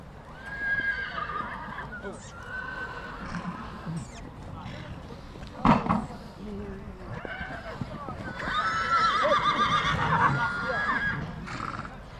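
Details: Stallions at Satu Mare, Bucovina, in 2022. Several wavering neighs come and go among loud human talk. A sharp knock sounds midway, and a longer, strong whinny rises near the end.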